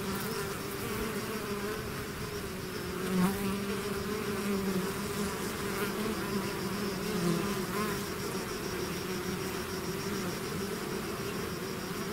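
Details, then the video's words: Steady, thick hum of a bee swarm leaving its hive. The drone stays even throughout, with faint swells where single bees pass nearer. "bees therapy swarm natural buzzing sound"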